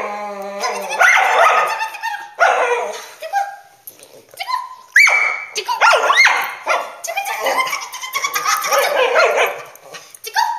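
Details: A cockapoo dog goes wild at the word "tickle", giving a run of short howls, yips and wavering cries that rise and fall, broken by gaps and overlapped by the owners' voices.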